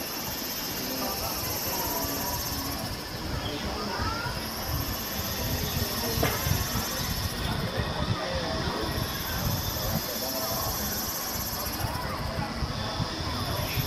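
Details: Kaempfer cicadas singing at 17:07 on 26 May 2018 at the Valas campsite area one, Namasia, Kaohsiung, Taiwan, recorded with a Canon PowerShot SX720 HS: a dense high buzzing chorus that swells and ebbs every few seconds over low murmuring voices.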